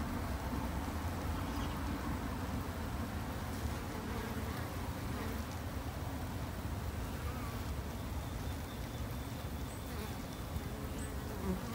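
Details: Japanese honey bees kept in a backyard hive by a beginner beekeeper as a conservation effort: a steady, low, droning hum of many wings that holds an even level throughout, with faint scattered higher ticks above.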